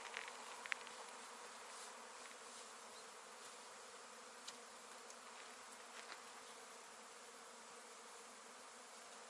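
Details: Continuous honey bee hum from a beginner's apiary, a steady layered drone with a broad hiss above, with one sharp click early on and a few soft taps later.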